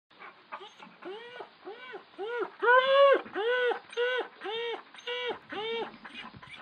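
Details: A domestic dog asleep and having a nightmare, whining in its sleep: a run of short arched whimpers, rising then falling, repeated about three times a second, steady and close with no other sounds.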